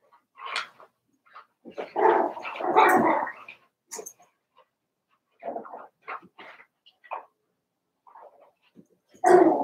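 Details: Daisy's litter of Cavalier King Charles Spaniel puppies, four weeks old, in the puppy pen: a quick yelp, then a long, loud growling and yapping scuffle lasting over a second, followed by scattered short squeaks and a final sharp bark.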